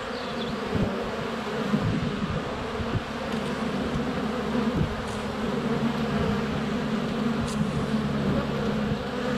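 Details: Dense swarm of honey bees at a hive entrance on a sunny February day, GoPro Hero 7 Black under a foot away, bees flying around and landing on it; steady droning hum with wingbeat flutters, a few faint bird chirps.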